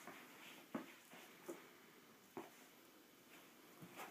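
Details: Dogs Mr T and Cyndi playing together: short, muffled grunting yelps in quick bursts, four sharp ones spread over four seconds with softer snuffles between, over a steady low hiss.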